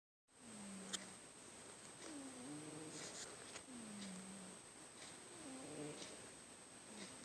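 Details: Obi, a small pet cat, snoring very loudly while asleep indoors: low nasal tones that slide gently downward, repeating every second or two with faint higher overtones and a steady background hum.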